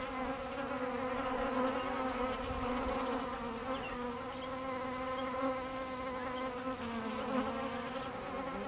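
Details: Bees kept by a beekeeper giving a steady, low droning hum with layered harmonic tones, holding an even level throughout with slight wavering in pitch and no other clear sounds.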